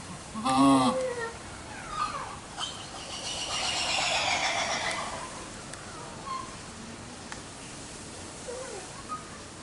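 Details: A lion-tailed macaque at Yagiyama Zoological Park, filmed 3 September 2023, gives a loud, wavering, harmonic cry, then fainter short calls.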